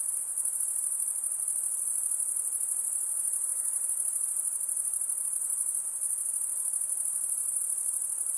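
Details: High-pitched insect sound: a dense, steady shrill trill held very high without pause, slightly pulsing in texture, over a faint soft hiss lower down.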